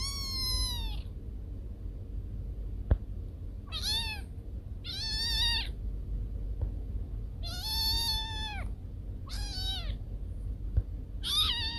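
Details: Cat meowing, a sound said to scare away rats: six clear, drawn-out meows spaced across the recording, each rising slightly then falling, with a faint click and low steady background hum between them.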